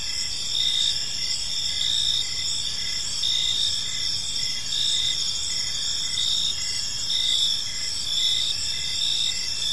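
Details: Gentle evening chirping of crickets in a park, a dense even wall of high trills with faint rhythmic pulses repeating below, no other sounds standing out.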